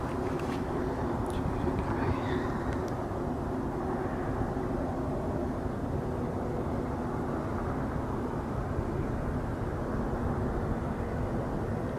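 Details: Steady low rumble of engine or vehicle noise throughout, with no animal voice standing out.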